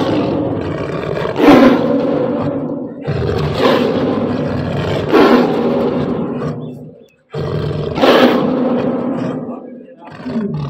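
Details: Lions being given food, near a female: rough, harmonic snarling roars come in long bursts of about three seconds each, broken by short pauses, with people speaking over them.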